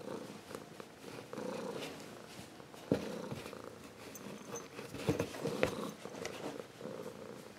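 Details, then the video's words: Ragdoll cat, now full-grown, purring steadily with a soft, throbbing rumble that rises and falls with each breath. A couple of faint clicks are heard midway. "Ragdoll Cat Purring"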